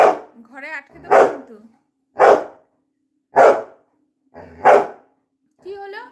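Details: Labrador Retriever giving five strong barks at roughly one-second intervals, with a person speaking in Bengali just before the first bark and again at the end.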